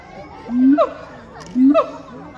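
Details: Siamangs Heart and Brave calling at Chiba Zoological Park on 12 November 2022: two loud, short calls about a second apart, each a low rising boom followed by a sharp upward-sweeping bark, over faint crowd murmur.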